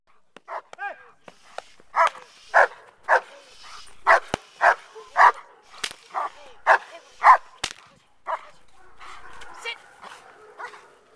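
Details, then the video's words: Male German Shepherd doing bark and hold training for a Schutzhund I trial set for May 2010: loud, sharp barks repeated about every half second in a steady run, with a faint human voice near the end. "performing the bark and hold"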